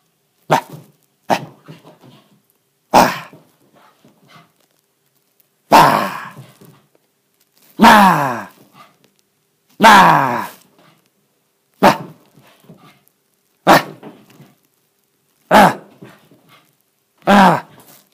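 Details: A male Shiba Inu puppy in an apartment, in a play frenzy burning off excess energy, gives sharp, yappy barks every couple of seconds.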